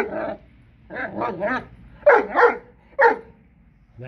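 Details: Young blue Great Dane females, seven months old, from Kennel Hradecká hvězda, letting out a rough bark followed by a rapid triple woof and then sharper single barks, in a quiet room.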